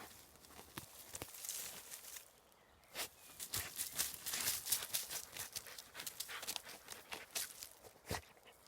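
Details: Black hunting hound puppy outdoors stubbornly digging the ground with its nose and paws, giving sharp, breathy snorts and sneezes in quick irregular bursts, with scuffing of soil between them.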